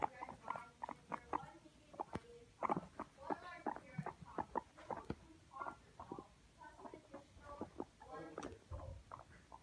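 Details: Pet guinea pigs escaping and slipping under a bed indoors, recorded by a phone left on the floor; a steady stream of short, squeaky harmonic chirps in quick bursts, some clustered into rapid chattering runs, over a quiet room.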